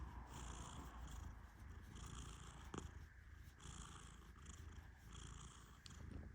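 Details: Persian cat Tehran dozing under gentle petting: low, purr-like snoring rumble rising and falling in regular breath cycles roughly every second and a half, with one brief click near the middle.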